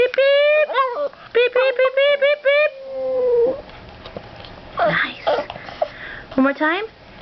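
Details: A three-year-old female Boston Terrier "sings", yodelling in short, high, wavering howls, with a person's voice in the background.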